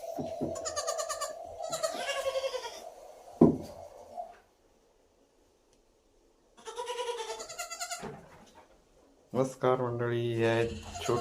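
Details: Small goat kids raised at home in Shirvane near Dapoli in Konkan, India, bleating with quavering, nasal calls of one to three seconds, separated by quiet gaps and a sharp knock; people talk nearby.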